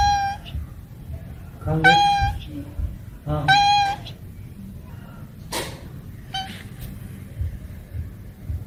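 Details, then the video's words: Cats and kittens meowing: a short meow, then two strong harmonic meows with rising starts about one and a half seconds apart, followed by a sharp click and a faint final meow over low background rumble. "Funny cats and kittens meowing compilation 2021, Cat_Sound_Effects ।। ବିଲେଇ ର ମିଆଁଉ"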